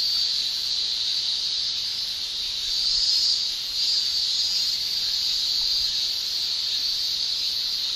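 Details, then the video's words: Japanese summer chorus of male cicadas buzzing with their tymbals: one continuous shrill, high whine, slightly louder midway through, then steady to the end. "Japan Summer Cicada Shrilling"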